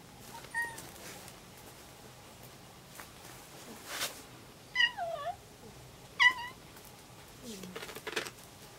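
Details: Pet cats gathered in a cluttered, newly tidied small bedroom indoors; short meows that fall in pitch come at about 0.6, 4.8 and 6.2 seconds, a lower, fainter meow near 7.6 seconds, with quiet room hiss and soft knocks between.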